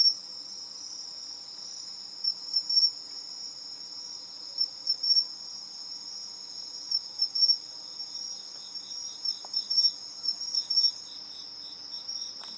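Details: Two pine crickets exchanging competing calls: clusters of short high tinkling chirps repeated every couple of seconds, laid over a steady piercing insect drone.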